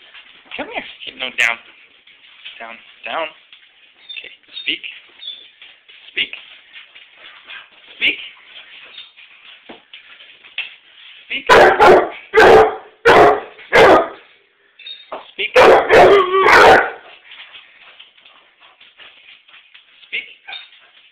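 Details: Basset Hound greeting its returning owner with two bursts of loud, booming barks, four then three in quick succession, after a long stretch of soft whining and human speech.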